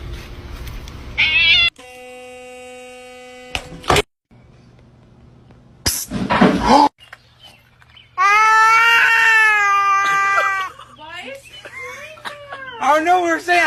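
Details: Cat in a funny cat compilation producing a long, loud, strongly harmonic meow of over two seconds that wavers slightly then falls, preceded by bursts of music and clips of other noise, with shorter cries afterward.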